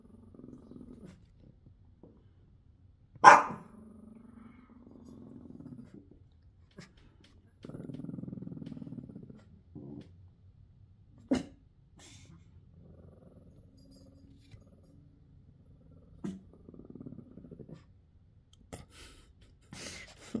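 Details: Pekingese dog growling indoors: low, drawn-out grumbling rumbles that come in stretches, the longest lasting about two seconds, broken by a few sharp clicks and knocks in an otherwise quiet room.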